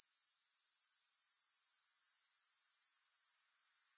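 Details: Loud, high-pitched pulsed buzzing of grasshoppers, rhythmic and even, that abruptly fades to a faint hiss in the final half second; no other sounds present.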